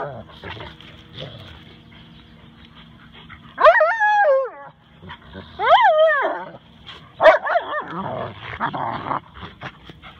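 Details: Husky/wolf mix vocalising while playing with a silent Rottweiler, its best friend; drawn-out, wavering howl-like talking calls in three bursts with rising and falling pitch, between quieter stretches with a steady background hum.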